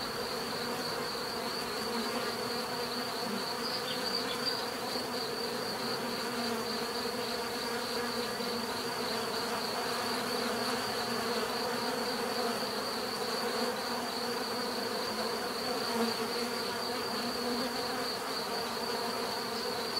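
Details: Steady hum of bees buzzing in nature, even and unbroken, with low layered drones and a pulsing high whine across the whole stretch.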